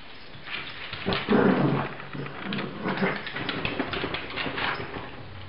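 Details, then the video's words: Fighting dogs break into a loud, tonal growl-snarl about one second in, followed by more snarling bursts and scuffling noise as the tussle goes on. "dogs fighting"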